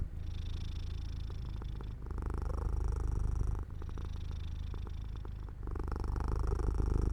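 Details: Sleepy domestic cat lying in sunlight by an open window, purring without pause. Low, fast-vibrating rumble with rhythmic in-and-out breathing phases, each lasting about one and a half to two seconds, with brief dips between them.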